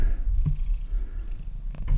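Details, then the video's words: Very old, very deaf cat snoring horrendously, loud enough to carry across the house; a steady low rumbling drone with a couple of soft breathy bursts. "Snoring Cat"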